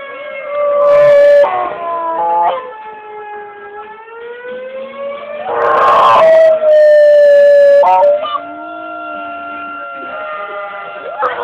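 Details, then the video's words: Dog named Pip howling along with an emergency siren, long wavering tones that slide up and down with rich harmonics, rising to loud peaks around the sixth second while the siren's steady drawn-out wail runs underneath. "Dog howling at emergency siren"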